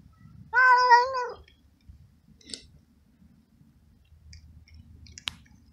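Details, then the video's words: Abandoned stray cat in a garden, fed and petted daily, gives one loud, wavering meow of under a second with rich harmonics, then a few faint clicks and taps in a quiet setting. "Cute Moments With Meowing Cat"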